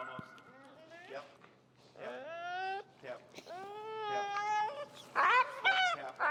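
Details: Finnegan, an extremely vocal feral husky being taught heel, protests with long, clear whining tones that rise and hold, repeated in drawn-out phrases, ending in louder harsh cries.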